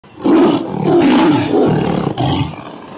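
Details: Tiger roaring: a loud, deep, rough roar held for about two seconds, swelling in three surges before trailing off, with no other clear sounds.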